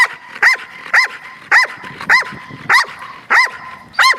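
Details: Domestic dogs taught to bark on cue at a toy ball as an opening step in alert and protection training; eight loud, evenly spaced barks with a ringing tonal edge, roughly one every half second.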